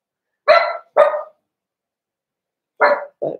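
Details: Cavalier King Charles Spaniels at a breeder's indoor puppy pen, where the puppies are being socialized with bigger adult dogs. Four sharp, loud barks: two in quick succession, a pause, then two more, the last one shorter and lower.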